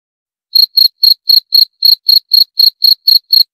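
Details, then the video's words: Cricket chirping after half a second of silence, a clean run of short, high chirps repeated about four times per second, steady and evenly spaced, with no other sounds. "Suara Jangkrik - 28 Minutes Cricket Sound Effect"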